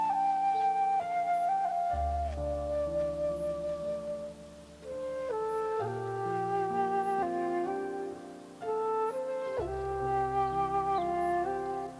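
Flute-led instrumental music with sustained melodic notes and low accompanying tones; no animal sounds are heard.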